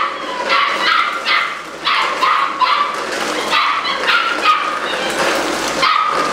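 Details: Eight-week-old Malinois puppies, a litter socialized daily, yapping together: high, harmonic yips and short barks tumbling over one another in quick bursts, with some whimpering between them.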